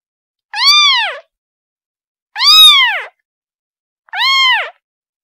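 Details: A kitten calls for its mother with three clear, rising-then-falling meows, about one every two seconds, each bright and harmonic-rich, the middle one loudest and longest, in an otherwise silent background.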